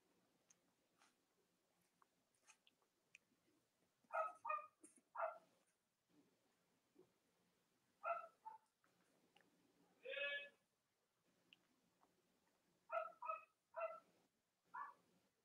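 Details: Cavalier King Charles Spaniel puppies, indoors in the US on a chilly late-October Monday morning, three nursing mothers in the household. Clusters of two to four sharp yapping barks recur roughly every four seconds, with one longer higher whine between, over soft room hum.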